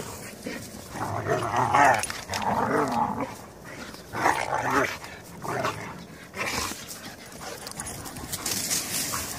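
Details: Whippet, poodle and goldendoodle dogs playing together on Salt Spring Island; rough, throaty growling bursts with whiny overtones, loudest in spells of one to two seconds near the start and middle, then quieter scuffling and panting.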